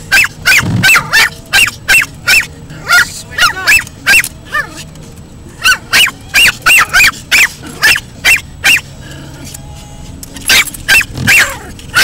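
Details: A 10-month-old Pomeranian barks frantically at moving windshield wipers, which frighten her; sharp, high yappy barks come in rapid bursts, roughly two or three per second, with short pauses and a low engine hum beneath.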